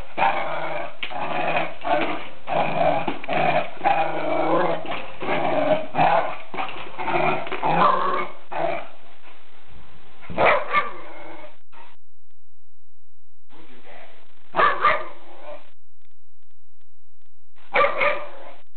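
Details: A dog growling at its own reflection in a mirror indoors, with a run of rough, rumbling growls and snarls for about eight seconds, then a few short separate growls after pauses.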